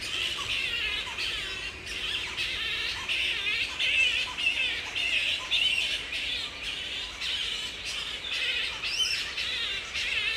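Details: Grey-headed flying foxes calling during mating in the wild at Woodford, Australia, mid-April breeding-season peak; continuous scratchy, wavering squawks in rapid irregular bursts, one rising-falling screech near the end.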